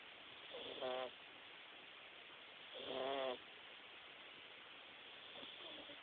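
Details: Jaxson, a Himalayan cat, snoring while napping: two loud, raspy, buzzing snores about two seconds apart, each a stacked rattling tone lasting under a second, then a fainter third snore near the end, over a steady background hiss.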